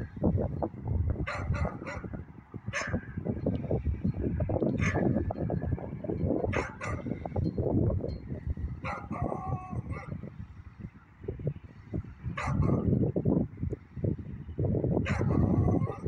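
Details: Beagle barking in the evening: sharp, clipped barks come in irregular bursts, some in quick pairs, scattered across the stretch with short gaps, over a steady heavy low rumble.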